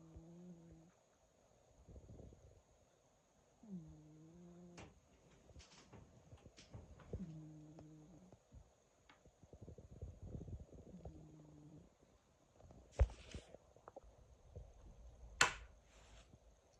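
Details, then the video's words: Domestic cat snoring: low, droning, nasal snores with a tonal hum, each lasting about a second and coming roughly every three and a half seconds, followed by soft rustles and a few sharp clicks and knocks near the end. "Cat snoring"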